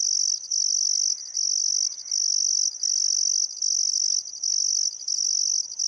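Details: Australian crickets at sunset on a calm summer afternoon beside the Barcoo River in Welford National Park, Outback Queensland, producing a sustained shrill trill interrupted by short pauses, with a few faint bird notes behind.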